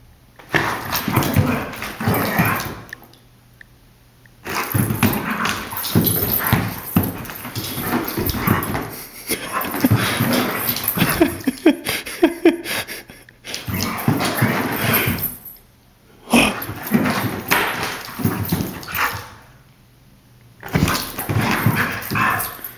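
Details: Female Pit Bull x Boxer tearing around an apartment after her walk and attacking a sock; scuffling, growly play noises come in spells of several seconds split by short quiet gaps, with a person telling her to sit and be quiet.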